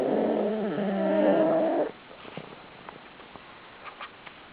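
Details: Pug asleep in a pile of pugs, snoring with his mouth open: one nearly two-second, wavering, nasal snore, then soft breathing and small clicks.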